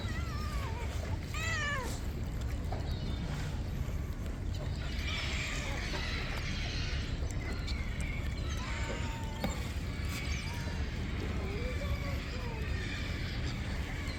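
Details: Hungry stray cats met one morning while being fed: a run of drawn-out meows, several curving down then up, repeated at intervals from more than one cat, over a steady low rumbling background with occasional soft human calls.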